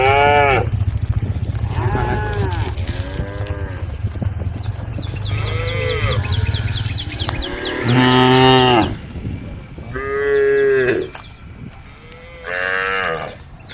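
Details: A herd of dozens of cows roaming a dusty country road moo in turn, calling to the herd: low, drawn-out, harmonic bellows, each swelling and fading over about a second. Small neck bells may jingle softly, with background voices and music.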